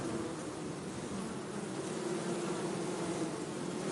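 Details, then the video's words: Bees producing a continuous low buzzing hum, slightly pulsing and wavering, with a brighter higher whine surfacing in the second half. "bee buzzing sound - zumbido de abelha"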